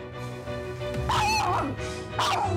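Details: A five-year-old long-haired Chihuahua mix that treats everyone outside its family as an enemy gives sharp, high yapping barks over background music.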